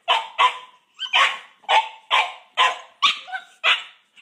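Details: Female brindle Boxer Paizley and male fawn Boxer Pepsy, puppies born February 2014, quarrel over a pig ear; steady, evenly spaced squeaky barks, roughly two per second, with a whiny edge.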